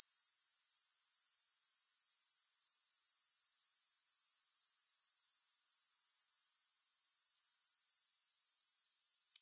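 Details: Grasshoppers keep up a continuous high, thin buzzing with a fine rapid pulse, steady in loudness throughout, with no music.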